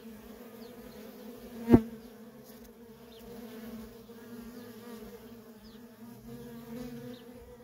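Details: Workers flying at a feral honey bee colony make a softer, even droning buzz, broken by one sharp tap-like click before two seconds, with faint high chirps here and there.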